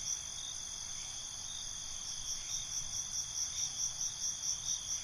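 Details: Crickets at night: steady high-pitched ringing with a regular pulsed chirp growing stronger and repeating about twice a second toward the end, low ambient hum underneath.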